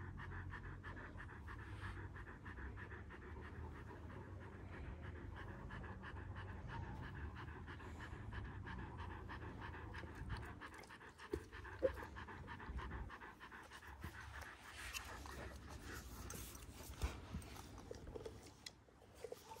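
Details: Kangal dogs aged one year, Alanya, Antalya, Turkey, 24 September 2024: a long run of fast, regular panting breaths with a few clicks and knocks, fading toward the close.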